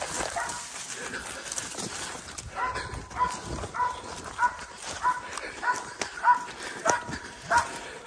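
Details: Belgian Malinois baying during a hog hunt, repeated sharp barks about every half second growing louder after a noisy start, with rustling and brush noise around.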